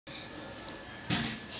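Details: An Indian cicada in a house backyard, heard from some distance away, gives a very loud, steady, shrill, high-pitched buzz that holds without a break.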